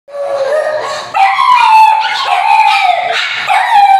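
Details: Three pugs howl and yowl together in long wavering, overlapping cries that rise and fall, as if talking or arguing.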